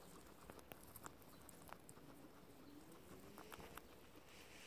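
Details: Two guinea pigs eating clover non-stop, munching steadily; soft, irregular crunchy clicks and snaps, several per second, over a quiet, even hiss.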